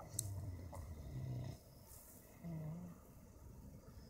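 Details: A family of wild boar (Sus scrofa) sleeping in a wildlife park in winter gives low, rumbling snores that rise and fall in slow breaths.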